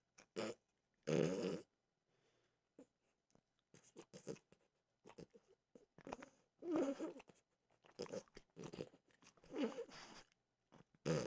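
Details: French bulldog Mimosa snacking on peanut butter flavored dog treats indoors: bursts of dry crunching, sometimes several seconds apart, separated by near silence in a small quiet room.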